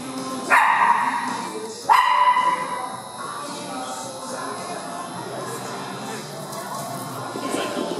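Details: Dogs playing in an indoor dog park, among them foster dog Cisco, Harley and an Italian greyhound; Lumix recording. Two loud echoing barks in the first two seconds, then quieter room noise with faint tonal background sounds.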